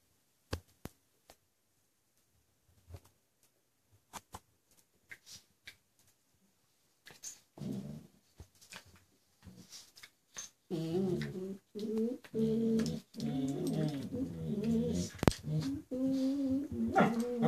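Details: Two pet dogs, Hollywood, a gentle border collie mix female, and Bowie, a male terrier puppy, playing indoors: scattered thumps and scuffling, then sustained wavering growls and whines in rough bursts during the tussle.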